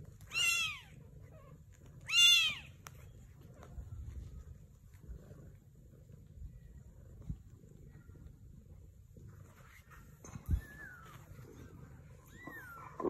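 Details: Sphynx mother cat among a sphynx kitten and British kittens: two strong high meows early, then quieter background with faint thin higher calls near the end and a low room rumble.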